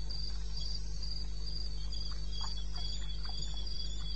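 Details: Recorded at 2:30 AM on 21 May 2016 in wild eastern Botswana, crickets chirp in short, high bursts about four per second, evenly spaced, with soft scattered clicks and a low background hum.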